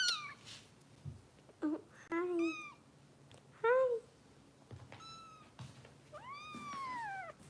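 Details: Harper and other foster kittens at a Los Angeles rescue crying during bottle feeding: a string of piercing, downward-curving mews, several brief squeaks and one longer drawn-out wail near the end, with soft human speech in between.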